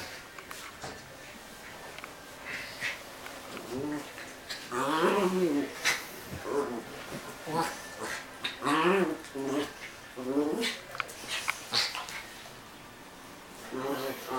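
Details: Two dogs, a Dogo Argentino and a Maltese, fighting indoors in a room; bursts of harsh snarls and high wavering yelps come in quick overlapping flurries, loudest through the middle, with quieter gaps between them.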